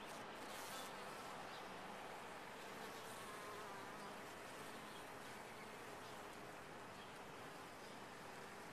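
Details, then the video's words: Honey bees in a top-bar hive, a steady broadband hum with a faint low drone band throughout, continuous and even in loudness. "Bees in a topbar hive"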